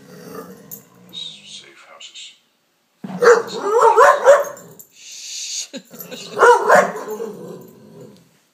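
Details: Indoors in Canada, Layla, a former Palestinian street dog, goes wild over a lamp shade: soft low growling, then two loud bursts of wavering, whining howl-growls separated by a short gap.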